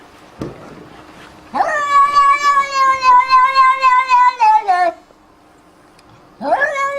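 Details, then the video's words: A domestic cat utters a long, sustained meow lasting about three seconds, wavering and slowly falling at the end, followed by the start of another rising meow; a faint knock precedes it. "Funny sound- cat"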